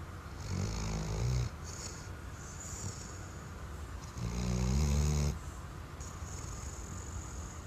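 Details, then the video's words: Dozing Weimaraner producing two low, buzzing snores about three seconds apart, each roughly a second long, with hissing exhales between them indoors. "Snoring Weimaraner"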